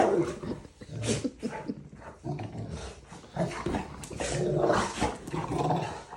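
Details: Rottweiler playing with another dog, giving rough growls and grumbling vocalisations in irregular bursts over several seconds, with a person's voice heard in the room.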